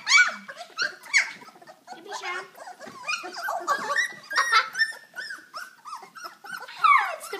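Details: Puppies of a kennel litter playing and being socialized with children indoors, October 2012; high whines, yelps and squeaky growls overlap throughout, with children's voices and chatter mixed in.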